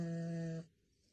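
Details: A female French bulldog gives a low, steady, droning vocal tone that stops abruptly after a moment.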